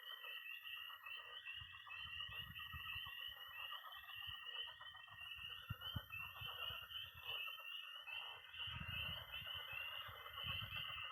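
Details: Early spring night at a Missouri pond, with peeping tree frogs and trilling toads forming a steady high chorus, while deeper croaking frogs pulse repeatedly underneath throughout.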